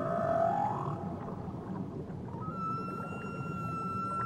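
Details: Whale singing near Tahiti: a short upward-sweeping moan opens, then, after a pause filled with low watery rumble, a thin, steady high whistle-like tone is held to the end.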